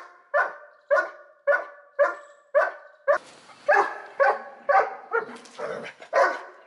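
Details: Dobermann Pinscher named Tyson, trained from a shy dog into a guard dog, barking while guarding his owner: about a dozen strong, evenly paced barks roughly every half second, growing rougher and noisier toward the end.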